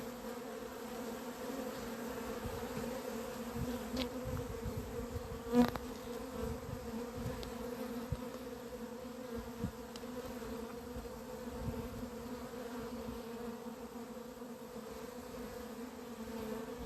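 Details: Honey bees at the apiary on 28 April 2026, said to be acting crazy; a long, unbroken droning hum on two steady tones, with one loud buzzing fly-by near five and a half seconds and scattered faint clicks.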